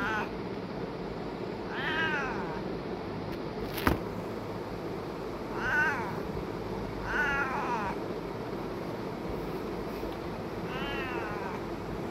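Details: Domestic cat meowing indoors: four drawn-out, wavering meows rising then falling, spaced a few seconds apart, with a sharp click near the middle and a steady low background hum.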